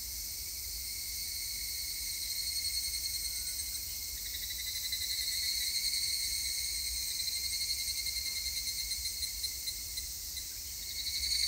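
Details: Evening cicadas (higurashi) recorded on 3 August 2021: several overlap in high, bright, ringing songs of quick pulses that swell and ease off in waves, forming a shimmering chorus over a faint low rumble.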